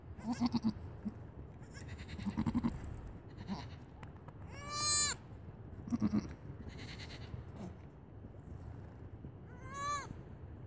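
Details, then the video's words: Young goat kid greeting its owner: a few short, low nasal calls, then a loud, quavering bleat rich in overtones midway, with a second rising bleat near the end over steady background hum. "Миний хэнз ишиг мэндэллээ"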